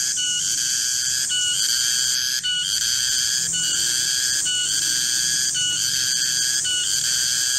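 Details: Cicada (garengpung) in a garden around midday, its shrill metallic whine held continuously and pulsing with short breaks roughly every second over a quiet low hum.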